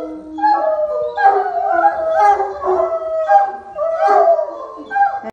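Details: A group of Otterhounds sings in unison, loud overlapping howls broken into surging phrases of a second or so, each swelling and fading, with some yips mixed into the chorus.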